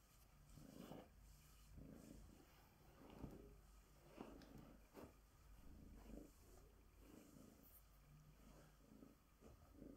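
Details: Bengal tabby cat, female, purring while groomed with a glove; low rumbling purr pulses in soft breath cycles about every two seconds, with faint rubbing sounds.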